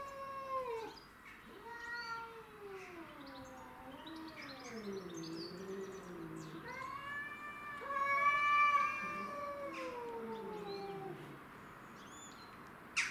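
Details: Cat fight over territory between domestic shorthairs Tom and Mimi and a grey and white stray: wavering yowls rise and fall in undulating sweeps, a louder rising howl around the middle, ending with a sharp click.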